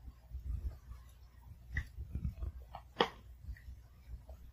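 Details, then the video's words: Pomeranian puppy eating food at home, carefully chewing each kibble; soft mouth sounds and scattered crunches with one sharp crack midway, over a steady low hum. "특이하게 밥 먹는 강아지의 소소한 ASMR"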